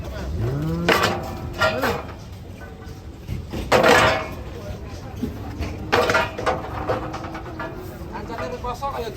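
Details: Sacrificial cattle being unloaded from a truck; one animal lows with a deep moo that rises at the start, followed later by a longer, drawn-out moo, while men talk and handling clatter sounds around them.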